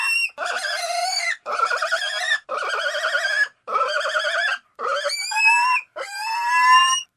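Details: Series of six loud pig squeals, each about a second long, evenly separated by brief silences. The last squeals rise and turn more tonal and whining.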